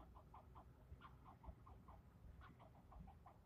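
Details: An angry squirrel keeps yelling at the person filming: a long string of about ten short, nasal chucking barks, a short gap, then another seven in quick rhythm, with a constant low hum underneath.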